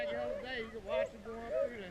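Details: Hunting beagles in Vera, Virginia, giving tongue on the chase: long sustained wavering howls from more than one dog, swelling twice in loudness, outdoors with faint background noise.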